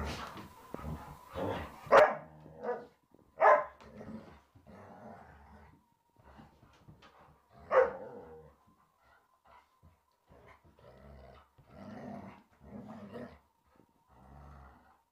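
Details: Three Alaskan Malamutes and a Springer Spaniel in rough-and-tumble play, the spaniel having started it: rough, gruff barks and growly bursts come in irregular clusters, loudest near two, three and a half and eight seconds, over a faint steady hum.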